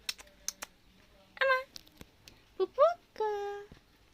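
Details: Kitten found abandoned by the road, calling repeatedly indoors: three short tonal meows, the middle one rising then falling, the last drawn out and steady, among sharp clicks, taps and gentle human talk.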